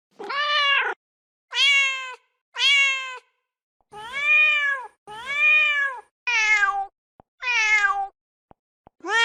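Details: A mother cat repeatedly meows for her kittens: around eight clear, bright calls in quick succession, some bending downward at the end, separated by short silences.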